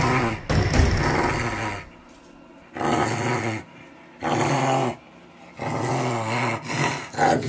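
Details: A Corgi, angry, gives low, rumbling growls in four separate bursts of one to one and a half seconds, with short quiet gaps between them. Each burst has a deep, harsh, rattling tone like castanets.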